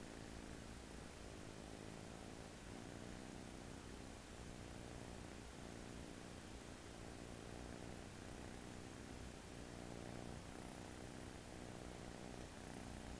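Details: Sleeping American Shorthair kitten, newly arrived home and resting on a person's arm, snores softly: a low, even purring rumble rising and falling with slow breaths, room hiss behind.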